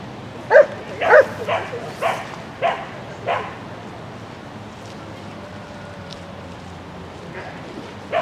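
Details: Shetland Sheepdog Lesya running an agility course in a spring 2016 event on 22 May 2016: six sharp, high barks in quick, uneven succession over the first three and a half seconds, then a quieter stretch with one last bark at the end.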